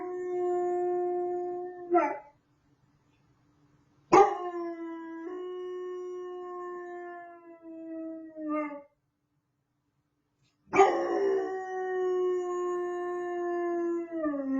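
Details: Puppy howling for the first time: long, steady, clear tones held for several seconds, each ending in a wavering drop, three howls separated by short silences.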